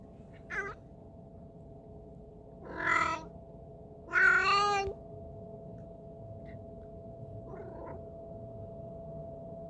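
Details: Strange sounds from a sick cat: a brief cry, then two louder, harsher drawn-out meows near the middle, with a faint final call and a constant background hum.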